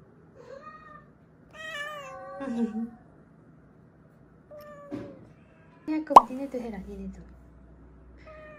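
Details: Weak rescued kittens, found huddled together on the way home from a family funeral, give a few drawn-out, falling meows, two longer cries early and another near the end, over quiet indoor background with a sharp knock and some speech.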